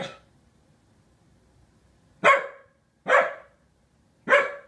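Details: Corgi upset at a new sailboat kite, barking sharply: one bark at the start, then three loud, harsh barks spaced about a second apart after a quiet pause, indoors.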